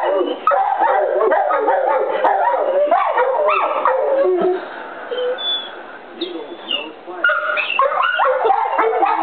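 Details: Golden retriever Copper and Rottweiler Zeus howl along with the noon whistle, their overlapping wavering howls mixed with yips and whimpers, fading briefly midway before rising again.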